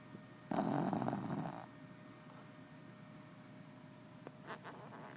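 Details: Male Shih Tzu snoring while asleep: one loud, rasping snore lasting about a second, then a quiet room with low hum and a few faint clicks.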